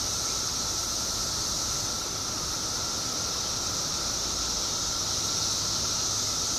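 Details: Periodical cicadas in the billions, out in Illinois after 17 subterranean years, fill the air with an even, seamless high-pitched hiss and a level lower whining tone, no pauses throughout.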